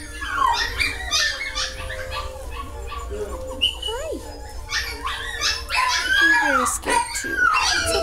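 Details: Dogs giving a busy run of high, sliding whines, squeals and short yips, overlapping one another and repeating rapidly, with human speech mixed in.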